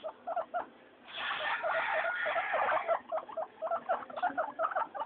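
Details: Three pet guinea pigs, Mayumi, Archie and Miyuki, noisy during floor time: a dense burst of overlapping squeals in the middle, framed by short repeated chirping wheeks in quick, uneven runs.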